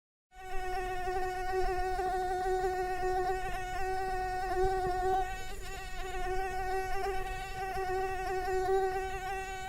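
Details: Mosquito wingbeat buzz: a steady, high, nasal whine with a rich stack of overtones, holding nearly level pitch with slight wavering and gentle swells in loudness throughout.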